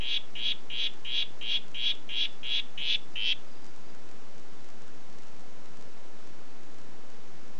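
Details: "Red Head" harlequin poison frog calling: nine quick, high, buzzy notes in an even series, roughly three per second, then abrupt silence with only a soft low background hum.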